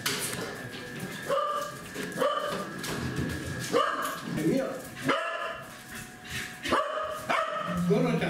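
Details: Welsh Corgis Goro, Roku and Champ inside a coffee shop on 12 May 2016. Sharp barks with bright harmonics come roughly every second, over background music and people talking nearby.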